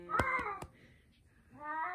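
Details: Domestic cat reacting after its owner got hurt, indoors: a short harmonic meow overlapped by quick clicking taps, then a quiet gap and a second rising, drawn-out meow at the end.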